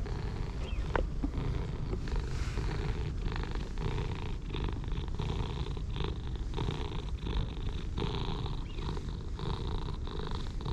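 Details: Purring from a pair of orange tabby stray cats, one darker and one paler, pleased while being petted; continuous deep rumbling with regular inhale-exhale surges and soft brushing sounds of fur being stroked.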